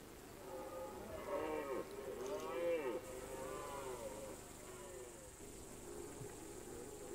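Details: Red deer stag roaring during the September–October rut on a mountain alpine pasture: drawn-out, moaning harmonic bellows that rise then fall, two or three close together, over a steady hiss of wind or background noise.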